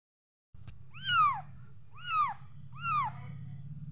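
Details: Kitten meowing three times at about one-second intervals; each call a high, arched, slightly falling mew, over a steady low hum.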